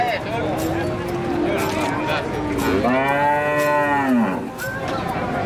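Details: Limousin feeder cattle with a defective leg; after a low droning murmur, one strong, rich moo swells and then slides downward over about a second and a half, with crowd noise and knocks around it.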